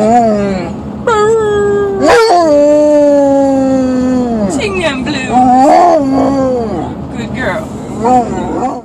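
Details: Domestic female basset hound howling on request among a person's encouraging speech: a series of howls, one long and gently falling, then shorter wavering, rising-and-falling howls, with talking and praise between them.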